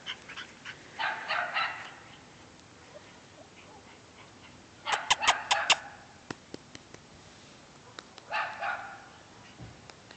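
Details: Two cream Shiba Inus playing, recorded on a phone: short bursts of raspy, growly play noises in three clusters, with sharp clicks and thumps of movement between them.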